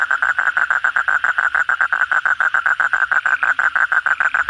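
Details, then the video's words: Kodok bangkong (Asian common toad) calling vigorously at night after heavy rain, among many frogs: a steady, rapid run of mid-pitched croaking pulses, about six per second, evenly spaced and continuing without pause, with a faint higher hum above. "suara kodok bangkong pada gacor setelah hujan lebat malam hari"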